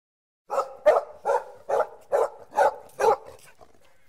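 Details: Puppy barking in a quick, even series of seven sharp, mid-pitched barks about two to three per second, then stopping; otherwise quiet background.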